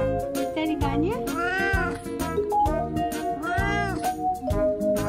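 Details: A 19-year-old senior house cat complains that a handmade fake jeans leg, its birthday present, feels strange: two long arching meows, swelling then falling, clearly over cheerful background music.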